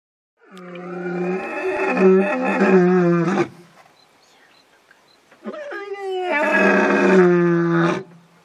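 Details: A male lion at a waterhole in the bush in early evening calls the rest of his pride with two long, deep, moaning calls, each about three seconds, reverberating, separated by brief silence.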